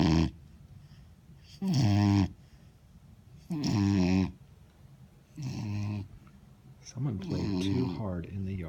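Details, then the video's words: Vizsla puppy named Cooper snoring after hard play in the yard, with rough, harmonic-rich snores about every two seconds, each lasting around half a second, between quieter breaths. "Funny Vizsla puppy snoring"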